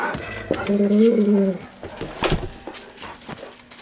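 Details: Excited golden retrievers aged 11 to 13 bray for dinner. A loud, wavering howl rises and falls over almost a second, followed by clicks, shuffling and softer household noise.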